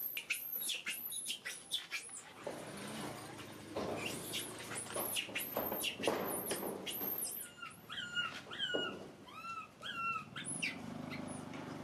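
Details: Distressed baby monkey screaming in rapid, very high hooked shrieks, then softer arched whimpering cries repeated toward the end, with some handling noise below.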